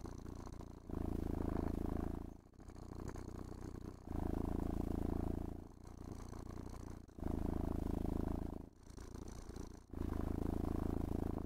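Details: Contented domestic cat purring during grooming and petting inside a room; heavy, buzzing low rumble alternating strong and softer phases with each breath, short pauses between, occasional faint rattle of handling.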